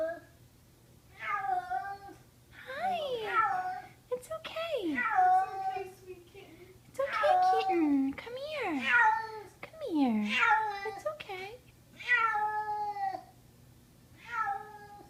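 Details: Kitten screaming with horror indoors in summer 2014 after being carried upstairs; a run of loud, strained, wavering cries with steep pitch drops comes in quick succession, overlapping a person's soothing words.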